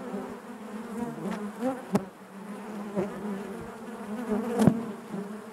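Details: Inside a honey bee hive, a continuous low drone of many bees fills the air, with several sharp close fly-bys near two and four and a half seconds rising above the constant hum.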